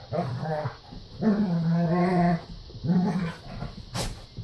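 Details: Standard Poodles at play give low, drawn-out groaning growls in three separate bursts, followed by a sharp click; Standard Poodle.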